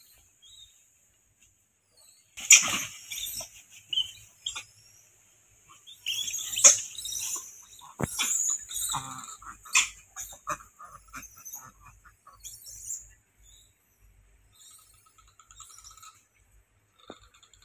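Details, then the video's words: Several monkeys in a fight give shrill, noisy shrieks in uneven bursts over about ten seconds, then fade to scattered faint squeaks and quiet. "Havy Monkeys Fight"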